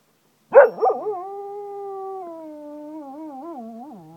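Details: Zeeko, a pet Cocker Spaniel in Ajloun, Jordan, howling like a wolf: two short yelps open into one long, steady, mid-pitched howl that sags slightly and wavers near its end.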